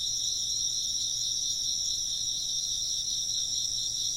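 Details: Insects chirping in a steady ambient night-style chorus, dense high trilling in two bright bands with a gentle pulsing shimmer, continuous throughout with no other clear sounds.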